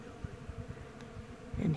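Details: Thousands of honey bees flying around a blooming Bradford pear tree in springtime in the Missouri Ozarks give a low, steady buzzing hum, with faint pulses as bees pass close.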